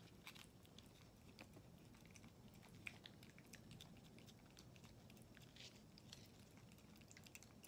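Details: Non, a female tortoiseshell Japanese kitten, a former stray born around late April 2020, impatiently eating a squeeze-tube treat indoors and pulling it out herself; faint, scattered wet clicks and licks under low room noise, one sharper snap midway.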